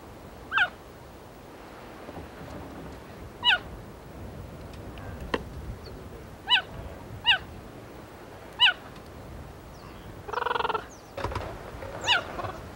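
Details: Female cheetah in Kenya's Maasai Mara National Reserve, after catching a hare, calls her three cubs aged two to three months with short bird-like chirps dropping in pitch, spaced a few seconds apart, followed by a brief buzzy burst.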